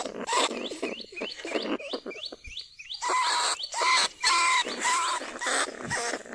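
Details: Lesser bandicoot rat held in a trap cage in rice fields at Na Lao, Nong Khu Phai, calling to other rats. Quick, upward-sweeping chirps in a fast series give way to longer harmonic squeals.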